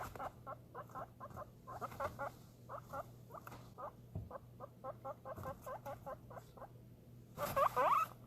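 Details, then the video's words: An excited guinea pig getting food gives rapid bursts of short squeaky notes, ending in a loud rising whistle. "Excited guinea pig making noise"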